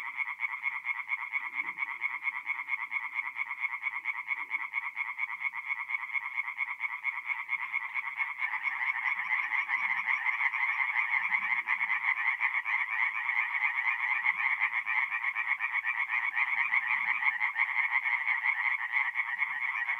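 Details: Forest pond at night in North-East Italy, mid-April, full of singing tree frogs; the rapid croaking chorus thickens and grows louder halfway through as more callers overlap, faint low sounds beneath.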